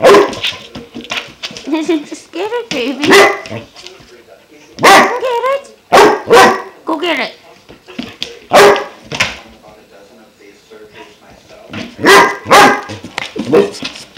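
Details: German Shepherd puppy Klaus, five months old, reacting to his new water buffalo horn with repeated loud barks, often doubled, interspersed with wavering whines and throaty grumbles, indoors.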